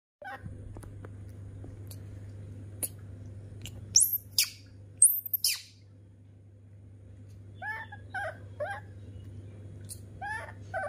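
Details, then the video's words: Rescued baby monkey, adopted from an animal market, throwing a tantrum in a kitchen while milk is prepared for it: short squeaky downward chirps repeated in quick bursts, loud clattering knocks midway, a steady low electrical hum. "New baby monkey tantrums when it sees dad is making milk in kitchen"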